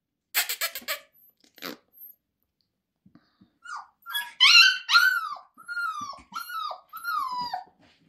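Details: Female grey-and-white Siberian Husky puppy from a Moscow kennel, born 28 December 2023, recorded 2 February 2024; a few sharp yelps, then a run of loud drawn-out whines that rise and fall, repeated about once a second.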